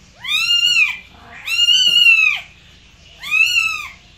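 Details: Domestic cat meowing: three drawn-out, harmonically rich meows, each about half a second to a second long with an arched rise-and-fall pitch, separated by short pauses; quiet background with no other clear sounds.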